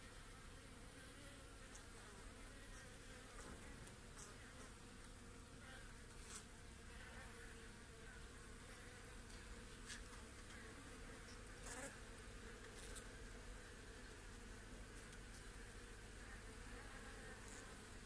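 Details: Continuous low buzzing of many honey bees on a frame holding their queen, lifted out while the hive is inspected; an even, unbroken drone with scattered soft ticks and knocks.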